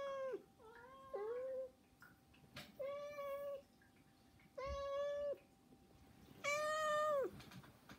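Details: Begging meows from three pet cats, Saba, Hana and Mizore, indoors: a stuttering double meow, then three long, level, harmonic-rich meows about every two seconds, the last loudest.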